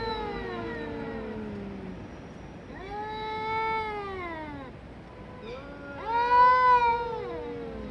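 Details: Two quarrelling cats trade overlapping yowls: sustained, slightly wavering howls that bend upward then fall away, with a louder, higher rising wail near the end answering a lower drawn-out moan.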